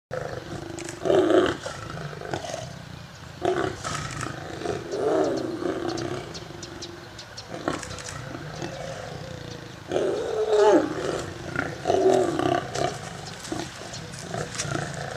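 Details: A lion feeding with its family gives harsh, rumbling roars in several loud bursts, separated by quieter growling.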